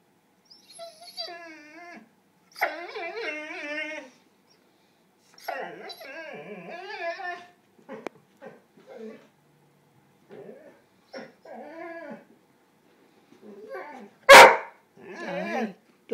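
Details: Pet dog Red-dog, its ball stuck, vocalizes indoors with rich, tonal whining moans that rise and fall in several long bursts, then shorter yelps. A person asks where its ball is, and one sharp thump sounds near the end.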